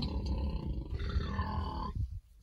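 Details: Berkshire pigs, kept on a farm and being treated for external parasites before winter, rolling around contentedly. Deep, rumbling grunts run almost continuously, with a longer tonal moan in the middle, then fade to near silence at the end.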